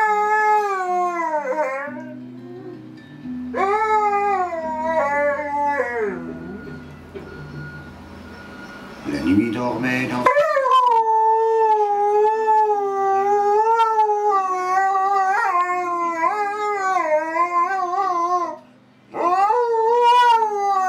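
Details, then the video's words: A pet Siberian husky 'singing': long, wavering howls that rise and fall in pitch, several drawn out in a row, with lower held tones underneath during the opening seconds. "singing dog, chien qui chante"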